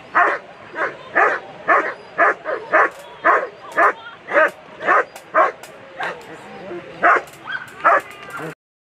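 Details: German Shepherd barking repeatedly while running a World Championship agility course (A2 Sunday): evenly paced sharp barks roughly twice a second for about eight seconds, then abrupt silence.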